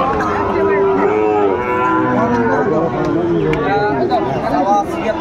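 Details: Young Sahiwal bulls at a livestock market on 30 June 2024: a series of resonant, harmonic moos rise and fall across the stretch, mixed with background crowd noise and a man's voice.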